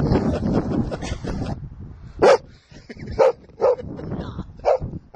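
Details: Female Sussex Spaniel named Shelly at play, giving four short, bright barks about once a second after a muddle of low rustling and a woman's voice at the start.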